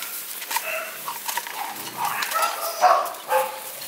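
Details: American Bully at a kennel in Romania: short, rough barks and yips scattered irregularly across four seconds, some overlapping, over a faint noisy background.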